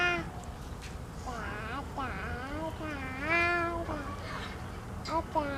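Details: Young white goats drinking milk call out in a run of overlapping, wavering bleats that rise and fall, one after another almost without pause, with a low background hum.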